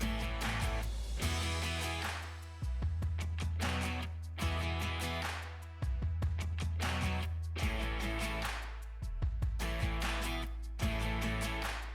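Strummed guitar music with a steady low bass fills the clip, and no animal calls come through.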